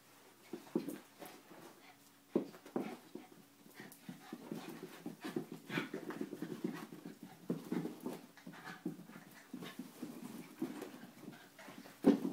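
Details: Play-wrestling between a schnauzer and an Italian greyhound inside a small room: steady low panting and throaty growling in rapid overlapping bursts, a thin whine threading through, and a sharp knock at the close.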